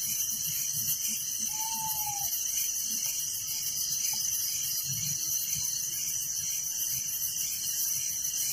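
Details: Crickets at night in a village, a dense continuous high-pitched shrill chorus with steady pulsing layers beneath it; a brief faint whistled note sounds near the start, over low rumbling background.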